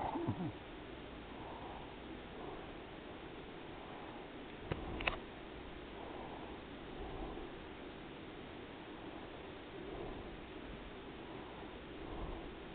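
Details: Purring from Daisy, a domestic cat resting after a day of eating and sleeping. Gentle rumbling waves rise and fall with each breath, broken by a couple of brief clicks.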